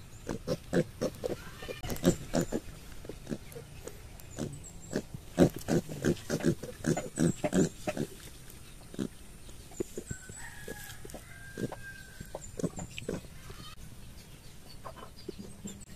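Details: Piglets in a village giving short, rough grunting calls in rapid, irregular bursts, loudest in the first eight seconds and then sparser, with faint thin whistles in the background.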